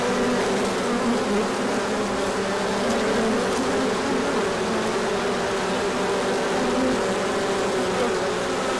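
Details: Large orientation flight of honeybees emerging in sunshine after cold days, pollen arriving; a thick continuous swarm drone, low and even, holding steady for the whole stretch with no other clear sounds.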